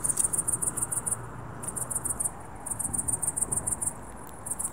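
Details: A cricket chirps at dusk in quick, high-pitched pulse trains, broken by short pauses, over a faint low rumble.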